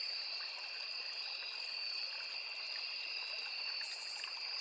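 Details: Forest insects, crickets among cicadas, by a small river, holding a constant shrill two-toned buzz without pauses, with the gentle babble of flowing stream water underneath.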